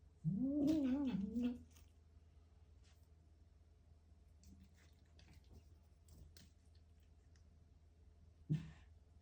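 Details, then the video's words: Pet cat eating a grasshopper gives a wavering, throaty moan lasting over a second, then near silence with faint clicks and crunching, and a brief second low cry near the end. "Cat eats grasshopper and makes funny noises"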